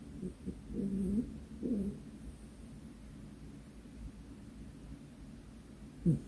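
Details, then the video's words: A silver toy poodle named Byeol, sleeping when tired, lets out soft low whimpering murmurs of sleep talking, a few short wavering moans clustered early, then quiet breathing and a brief final whine. "실버푸들 강아지의 코골이와 잠꼬대"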